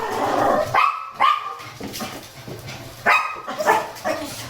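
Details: Complaining Shih Tzu on a cool early-morning walk with a lively Miniature Pinscher; four sharp, clipped yelping barks come in two pairs, each pair rising then falling, with a steady hum of background music.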